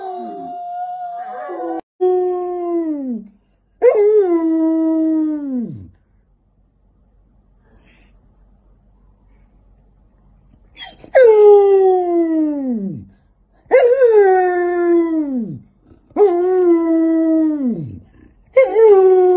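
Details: Fluffy Samoyeds howling in long, drawn-out calls that start high and slide downward. About six calls come in two bursts, with a quiet gap of several seconds between them and short breaks between calls.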